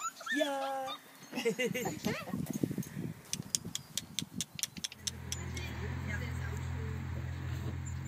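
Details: Siberian Husky puppies, from a litter of eight at a yard in Remels, Germany, whimper in high, wavering whines that rise and fall over the first two seconds, followed by rapid clattering taps and a steady low hum.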